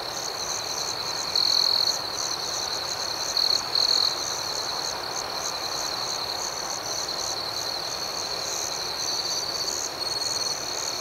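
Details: Crickets singing in the night, a constant piercing trill with several short louder swells early on, and a fainter pulsed chirp ticking steadily over the top amid mild background hiss.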